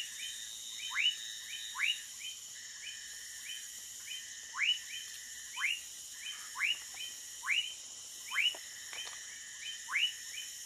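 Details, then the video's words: A Woodcock Frog (whistling frog, Leptodactylus fuscus) in the Amazon jungle near Manaus, Brazil, at night gives short, upward-sweeping whistled notes, roughly one per second, over a steady high insect drone. "Woodcock Frog"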